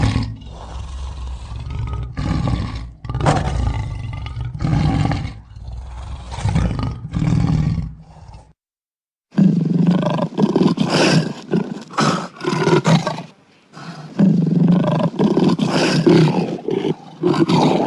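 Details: Lion roaring, edited as a sound effect: long runs of heavy, low, grating roars and growls, pulsing in repeated bursts, broken by one brief silent gap near the middle.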